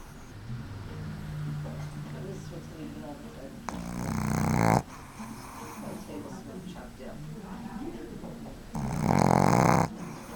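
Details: A 7-month-old female Boston Terrier puppy, asleep on a lap in an office, snores with rough, breathy, rumbling rasps, with quiet human voices nearby.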